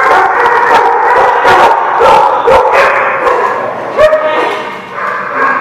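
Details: Dogs barking, recorded 14 October 2017: dense, loud, overlapping barks and yips come in quick irregular bursts, about two per second, with human voices mixed in.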